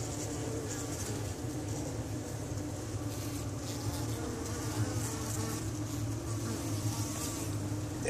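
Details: Honey bee. Many honey bees hum together in a continuous low drone that holds a steady pitch throughout. A faint airy hiss rides above the buzzing wings.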